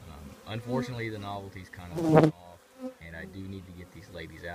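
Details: Close buzzing of honey bees from a colony in an old trash can, a low hum with one loud, rising swoop as a bee passes near, then a short silence before the drone resumes.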